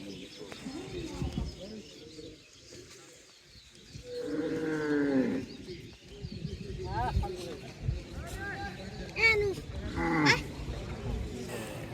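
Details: Cattle at a busy village cattle market in Bangladesh where buyers and sellers bargain over prices. A drawn-out, harmonic moo swells for about a second and a half mid-clip, surrounded by constant crowd chatter and voices.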